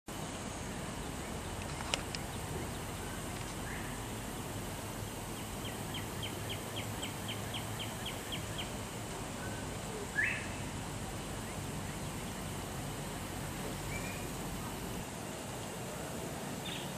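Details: Prairie dogs give a quick run of sharp, high chirping barks over steady wind noise, barking to warn others in their community of danger.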